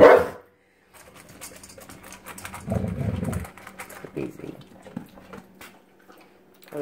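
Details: Pet dog, possessive of his food bowl, indoors: a short loud burst, then a low rumbling growl-like bark of about a second, with a few sharper yelps after, and people talking and laughing over it.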